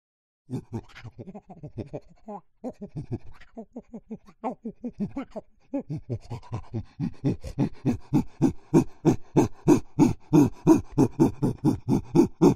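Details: Chimpanzee giving a long run of rhythmic, breathy pants, low and grunting at first, then louder, faster and more regular, roughly three per second toward the end, with no other sounds.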